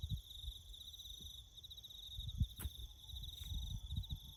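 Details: High, continuous cricket trilling in bush country during farm work, with low rumbling noise, a couple of sharp clicks and a faint thin tone near the end.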